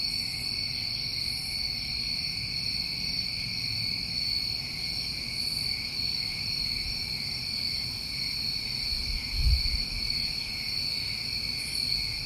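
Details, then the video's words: New England crickets on a summer night, a steady unbroken high trilling chorus holding two pitches without pause, a few faint higher shimmering bursts over it, and a soft low rumble below with one brief thump near the end. "Over 1 Hour Of Tinnitus Masking With Crickets"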